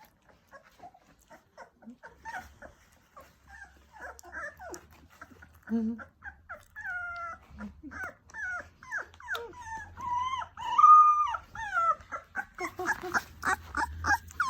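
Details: Several 20-day-old Labrador Retriever puppies whimpering and crying: a busy stream of high, wavering whines and squeaks, some rising and falling, growing louder and denser toward the end, with overlapping pups.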